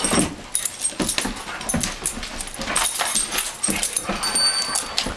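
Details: Two adopted Doberman Pinschers, a 2-year-old and a 9-year-old, play fighting indoors on a carpet; scuffling, short yips and whimpers come in quick bursts amid thumps of bodies, with a high steady electronic tone in the background.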